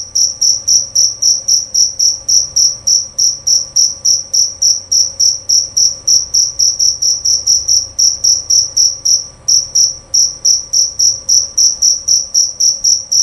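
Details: Jerabang cricket, a male type kept for its voice, calling loud and clear: a steady run of bright, high-pitched chirps, roughly three to four per second, evenly spaced throughout with a faint hum underneath.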